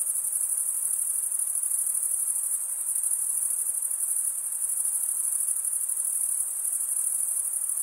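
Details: Chirping crickets, sound made by rubbing the top of one wing along the toothed underside of the other, heard as a seamless, very high trilling wash with gentle rhythmic pulsing and no other sounds.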